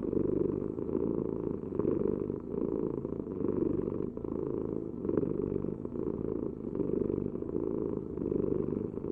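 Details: Close, sustained purring from a cat. The deep buzzing rumble pulses gently with inhale and exhale at an even pace, with no other sounds.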